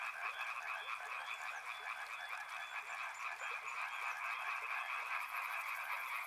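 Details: Frogs calling by a river, a dense chorus of many overlapping croaks forming a steady rattling drone in the mid range, with faint higher ticks above and a thin, high, buzzing trill joining near the end.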